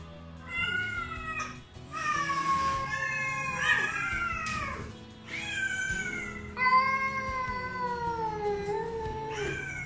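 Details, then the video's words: Three rescued feral cats, a black mother and her two grown kittens, greet their caretaker in the morning when wet food is expected. Several long, tonal, wavering meows overlap and rise and fall in pitch, with faint music underneath. "Singing Cats"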